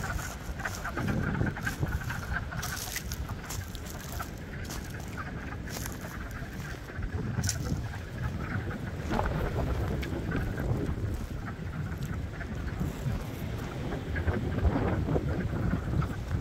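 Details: Springtime at Blue Cliff, where a crowd of frogs keeps up a continuous pulsing chorus of rough croaks and occasional sharper clicks, set against persistent low-frequency wind and water rumble.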